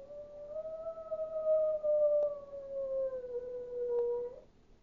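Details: Chihuahua howling like a wolf: one long, steady, tonal howl lasting over four seconds, rising slightly at first, then slowly sliding lower before it stops, with a faint tick or two in the background.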